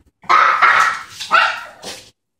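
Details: Two excited puppies greeting a woman arriving home indoors: a quick burst of three or four high, yappy barks within two seconds, in a small room.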